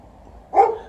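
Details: Dog complaining because it wants to fetch, outdoors amid drifting poplar fluff; one short, sharp whiny yelp rising out of quiet, then fading, with a man talking nearby.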